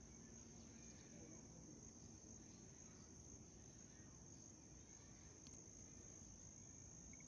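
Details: White cricket giving a steady, unbroken high-pitched trill that runs through the whole stretch over a soft background hiss.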